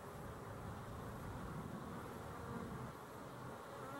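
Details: Honey bees recorded 12-11-23, a steady dense hum of many wings, low droning energy with faint harmonic bands continuing unbroken through the short stretch, no other clear sounds.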